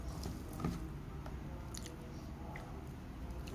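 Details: Soft indoor chewing and biting noises with faint clicks over a low room rumble, no calls or vocal sounds.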